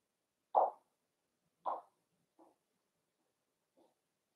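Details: Cavalier King Charles Spaniel puppies at play inside a home puppy pen: two sharp, clear yips about a second apart, followed by two much fainter, softer yelps in an otherwise quiet room.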